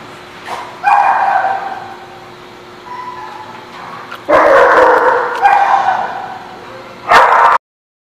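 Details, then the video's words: Dogs at the barking lot on 21 October 2017 give a bark near one second, then a loud sustained run of barks from about four to six seconds and a final sharp bark near seven seconds. "The Barking Lot"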